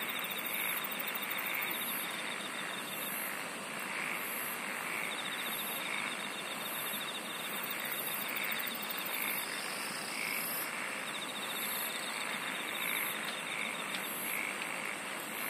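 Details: Insects singing in a natural outdoor setting: several steady, shrill buzzing layers held throughout, overlaid by short chirps repeating roughly every half to one second, with a dense, constant background hiss.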